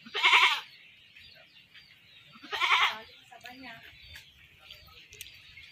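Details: A goat caught and later slaughtered gives two strong quavering bleats about two seconds apart, followed by soft human voices and scattered handling noises.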